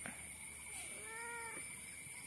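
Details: Cat giving one short, soft meow of about half a second, an arched tonal call with stacked harmonics, heard over a steady electrical hum and a high whine.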